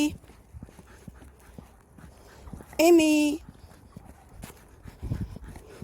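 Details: Siberian Husky on a walk at the Happy House shelter in Dodong, Geoje Island: one loud, drawn-out whining cry that rises briefly and then holds a steady pitch for about half a second, over soft footsteps and faint voices.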